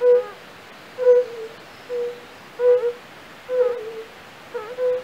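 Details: A European fire-bellied toad (Bombina bombina) gives soft, mellow, low 'oop' notes, about one per second, from a pond in the castle park at Raduň, Opava district, Czech Republic, where many are calling.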